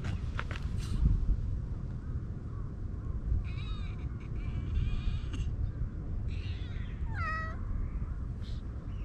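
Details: Stray cat found in a flower bed, purring for attention as it is petted and then happily climbing onto a lap; a few short harmonic meows, the clearest one near the end, over a constant low rumble of wind or handling.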